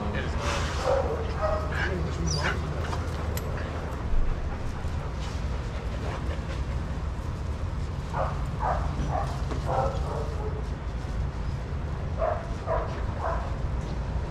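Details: Playing daycare dogs, adoptable from a shelter: a few sharp barks at the start, then quieter, with clusters of short yaps returning later, set against a low droning background and occasional clatter.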